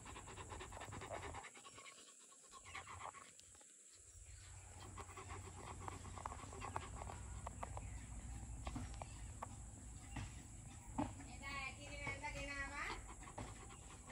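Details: Male Rottweiler, two years old, panting rapidly at roughly two breaths per second, a husky rhythmic huffing over steady background hiss and a high constant whine, with a brief voice-like sound near the end.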